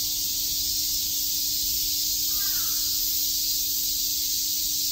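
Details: Summer cicada chorus in Shakujii Park, Tokyo: a steady, shrill, hissing drone with no pauses, and one soft crow caw partway through.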